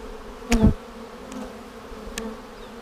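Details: Colony of honey bees in a hive opened for inspection on March 10, 2019, a week after a vertical split made with a double screen divider board: continuous low buzzing drone, interrupted by one sharp knock and two faint clicks.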